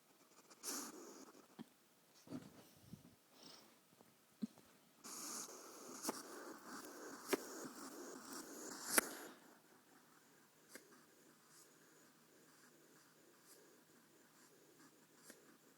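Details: Female pet hedgehog throwing a temper tantrum indoors after being woken for a nail clipping instead of cuddles or snacks; harsh broadband huffing bursts and sharp clicks during the first nine seconds, then quieter with occasional faint pops.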